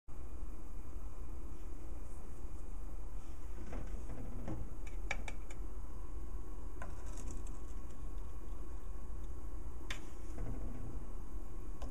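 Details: Low room hum with scattered clicks and light handling noises; no animal sound is heard.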